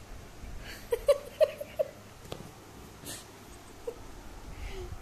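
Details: Labrador named Zoey, a pet indoors: four short, high-pitched yips or barks come in quick succession in the first two seconds, then one quieter yip follows, with background rustling and low room noise.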